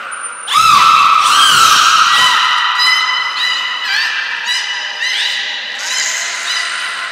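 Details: Training session with belugas Hodoi, Taanya and Mirai at Port of Nagoya Public Aquarium, 1 November 2020: loud harmonic squeals with rising sweeps, repeated in quick bursts, opening after a brief high thin whistle tone.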